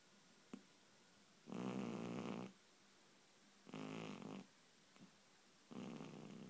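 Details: Loud snoring from a pet cat dreaming and twitching in its sleep; three harsh, rasping snores, each about a second long, spaced roughly two seconds apart over faint room hiss.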